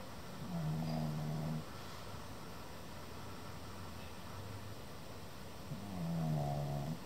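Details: A sleeping male Pekingese, nearly seven months old, snores in low, rumbling breaths, two long snores several seconds apart.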